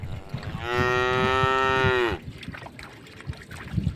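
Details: Tame cattle on a road beside a forest, walking through a puddle, give one sustained harmonic moo of about one and a half seconds, followed by soft splashing and scuffing sounds.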